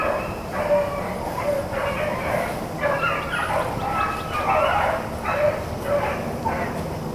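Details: Several Blackcreek and Bluetick hounds on a rabbit chase, April 4, 2013, voicing a chorus of overlapping yips and bays that swell and fade across a few seconds.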